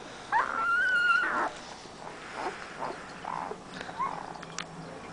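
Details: {'caption': 'Siberian Husky puppy from a 2010 litter letting out one long, high, wavering whine lasting about a second, followed by a few quieter, breathy whimpers and a brief closing squeak.'}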